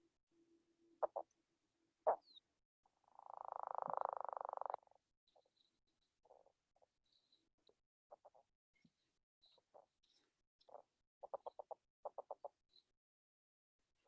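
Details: A male northern leopard frog in the Chicago area, calling to attract females, gives a long, strained snoring rattle, then scattered low grunting clucks; not an explosive breeder, so only one or two call at a time.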